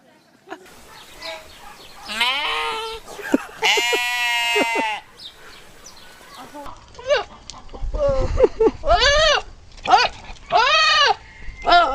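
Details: Goats making noise in a humorous compilation: a run of loud, quavering bleats, some long and some short and arched, repeated over several seconds amid human voices and some low rumble.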